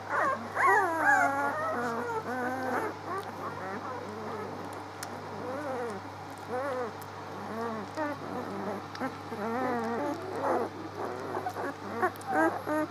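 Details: Several six-day-old pups on 19 March keep up a near-constant litter chatter of high, quavering squeaks and thin whines, tumbling over one another almost continuously for thirteen seconds over a faint low hum.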